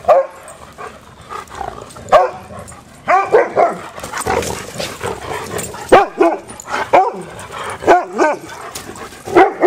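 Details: Dogs at play trade yappy barks and squealing yips, some clustered in quick runs, others spaced out, over a rough, scuffling background.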